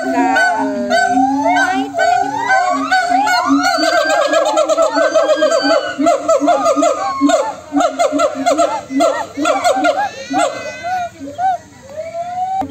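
Several monkeys answer one another with loud, overlapping, rising and falling chattering cries.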